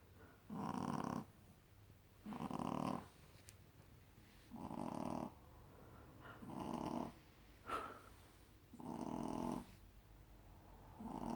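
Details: Female Shih Tzu puppy Bunny sleeps with her porcelain friend, snoring heavily: a steady run of about seven rough snores roughly every one and a half seconds, with a brief click midway, indoors.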